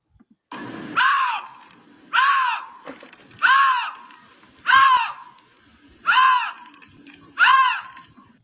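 A lynx gives a series of nasal, arching yowls, each rising then falling, about once a second.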